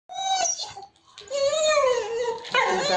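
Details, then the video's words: Pet dog calling out in a small room when called, said to be asking to be left alone or for food; long drawn, tonal whining howl with a rising and falling pitch, followed by a sharper harsh burst. "Dog roar when we call"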